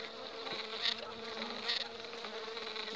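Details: Honey bees of a colony overwintered on five frames and now building up, two weeks before the acacia bloom; a dense, steady hum with a low drone tone underneath and brief louder swells as bees pass close.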